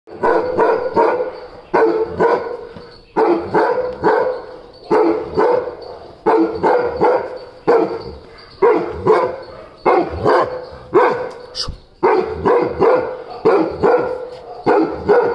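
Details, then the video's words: Oscar, a Weimaraner, barking in a morning bark-off: loud, harmonic barks in rapid bursts of three to five, each burst separated by short pauses, repeated steadily through the whole recording, with a brief sharp click near the middle. "Morning Bark Offs"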